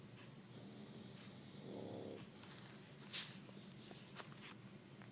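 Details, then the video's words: Sleeping bulldog lying on an AC vent gives a single low, buzzy snore lasting under a second. A constant rush of air continues beneath it, and a few faint clicks follow. "Bulldog snoring while sleeping on the AC vent"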